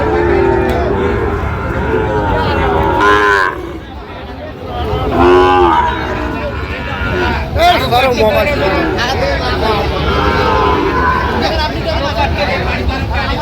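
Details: Sahiwal bull calves at a Sylhet, Bangladesh livestock market on 26 September 2025 call in loud, bending moos, some short and some drawn out, amid a brief lull then renewed crowd noise and buyers' chatter.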